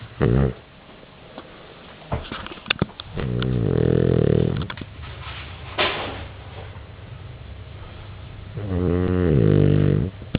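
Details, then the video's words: Pet dog snoring loudly indoors: two long, low rumbling snores with a throaty buzzing texture, each lasting about a second and a half, separated by quieter breathing and a few soft clicks. "Dog snoring"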